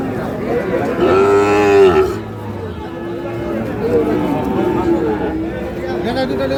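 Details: At Ambari haat, a cattle market in Dinajpur, Bangladesh, a Sahiwal bull calf lets out one loud, roughly one-second moo, then lower bellows fade beneath men talking and the crowd's din, late March.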